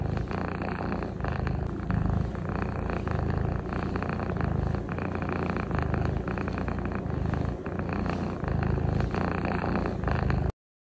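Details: Norwegian Forest Cat purring steadily for about ten seconds, a low buzzing rumble rising and falling in regular breath-length cycles, recorded very close, ending abruptly in silence.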